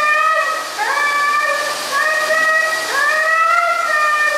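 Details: Siberian Husky howling dramatically while being given a bath: sustained, tonal, wavering howls in overlapping phrases, each starting with a quick upward slide and then holding a steady pitch with rich harmonics, over a constant hiss of running water.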